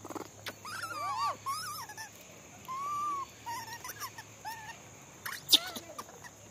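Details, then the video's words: Monkey calling while being fed: a series of clear, tonal, arched calls that rise and then fall, some long and drawn out, some short, with a sharp click near the end. "Monkey sound video"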